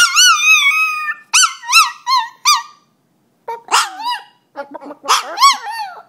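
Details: A frightened dog scared of chickens gives loud, high, wavering yelps and squeals, a long drawn cry followed by several short arched yelps, then a pause and more broken squeaky cries.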